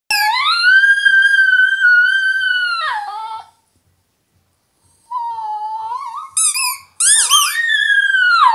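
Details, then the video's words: Italian Greyhound female singing along with her squeaky toy indoors: a long, steady, high, tonal howl held for about three seconds with rich overtones. After a pause comes a wavering howl, then sharp high toy squeaks near the end. "Singing Italian Greyhound"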